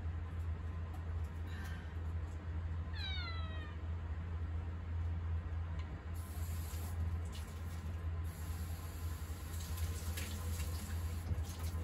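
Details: Attention-seeking house cat Mugi meows in the kitchen as someone stands at the counter: one clear descending meow early on, then clattering and rustling kitchen noises over a constant low hum.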